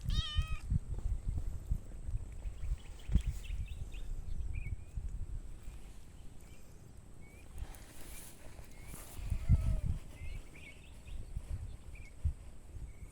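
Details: Domestic cats outdoors, two cats and two tiny kittens playing; a short harmonic meow opens the clip, followed by faint high chirps, soft rustling and low background rumble.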